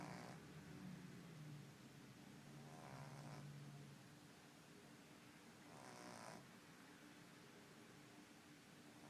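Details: A 10-week-old French Bulldog puppy's first snore: soft snoring with rasping breaths in a low, steady rhythm.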